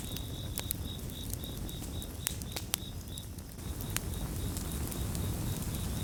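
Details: Crickets call in quick, regular high chirps, almost four per second, forming a clear pulsing trill, with a crackling campfire giving occasional sharp pops and a heavy low rumble that swells toward the end.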